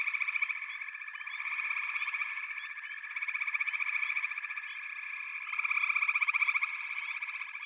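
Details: Continuous chorus of many frogs, a shimmering wall of fast pulsed trills that rises and falls in waves of loudness.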